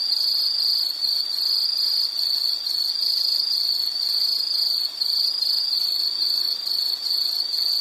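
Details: Insect calls form a shrill, rapidly pulsed trill, evenly sustained with brief dips roughly every second, plus faint higher overtone bands.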